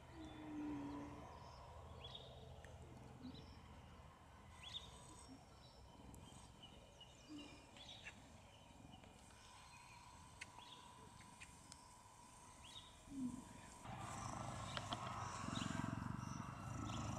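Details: Eden, a female cheetah, lies next to a girl at siesta time at Cheetah Experience, 2014, purring steadily. A deep pulsing rumble comes in breath-length cycles, with birds chirping around and a burst of louder rustling noise near the end.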